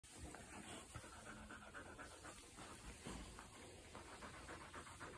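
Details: While playing, an English springer spaniel pants rapidly and breathily, a steady rasping rhythm of quick breaths.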